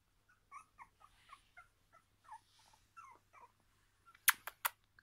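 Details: Jack Russell terrier giving soft, short whimpering yips, about a dozen in a loose series over four seconds, followed by a few sharp clicks or taps near the end.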